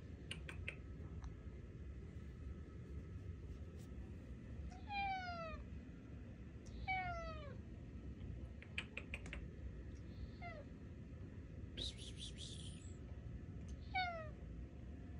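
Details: Alfie, a tuxedo cat, talks to its owners indoors with a string of drawn-out meows, four clear cries spaced a few seconds apart, each sliding downward, over a low room rumble and a few soft clicks.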